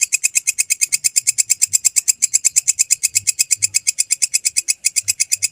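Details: A belalang kecek grasshopper, used as a tutor recording for songbirds, keeps up a loud, fast, sizzling series of evenly spaced pulses, around seven per second. A brief stumble in the rhythm comes just before the end.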